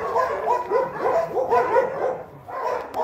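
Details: Playful shelter dog in Kyiv Oblast, Ukraine, calling a companion to play with bursts of high, whining yips and squeaky barks, clustered in quick runs and pausing briefly before a final yelp.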